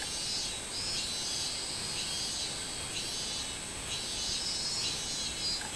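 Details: Minmin cicada singing, 24 July 2016: regularly pulsed high buzzing roughly twice a second above an unbroken shrill insect hiss, without other clear sounds.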